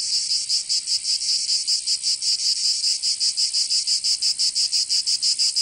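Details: High, grating cicada song in summer in Provence, France, a continuous electric-sounding buzz beating in fast rhythmic pulses, around five per second, growing slightly more regular toward the end.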